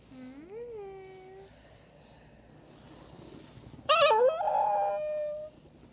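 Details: Chihuahua basenji mix dog crying: a tonal whine rising and falling over about a second and a half, then after a quiet gap a louder, harmonically rich, wavering whine that holds steady before fading.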